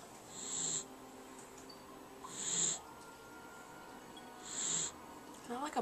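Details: Awake Jack Russell Terrier making snore-like wheezes, three hissing, whistly breaths about two seconds apart, followed by a person's voice at the end.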